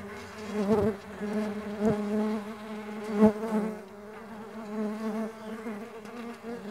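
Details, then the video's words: Continuous low hum of Mandaçaia stingless bees in flight, rich in overtones, with several sharp brief bursts as bees zip past close by, the drone rising and falling in loudness. "STINGLESS BEE SOUNDS"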